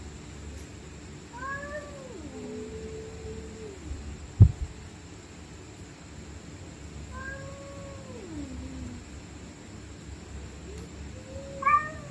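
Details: Stray cats fighting at night, with angry screams: three drawn-out wavering yowls that swoop down in pitch, one held as a flat moan, plus a sharp knock midway and a brief upward cry at the end, over low hum.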